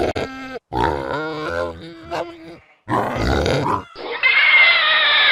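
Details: Pig making tonal, moaning grunts with clear harmonics and some wavering, nasal notes, then ending in a loud, harsh, sustained squeal.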